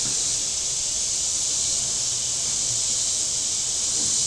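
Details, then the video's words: Shoreline cicadas at Table Rock Lake, southern Missouri, on a very warm Saturday: an unbroken, shrill, hissing drone holding at one even loudness, with a faint low rumble underneath. "Boating Lake Sounds and Cicadas"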